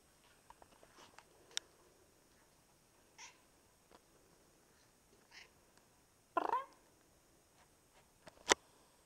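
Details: Russian Blue cat being pet-sat indoors, giving a few soft, short meows with faint harmonics, separated by louder sharp bursts and small clicking handling noises in a quiet room.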